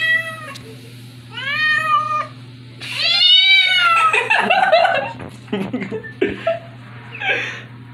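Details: Female pet cat being teased by her owners: three drawn-out, wavering meows that rise and then fall, each about a second long, followed by a harsher, scratchy, broken yowl mixed with clattering and rustling noises.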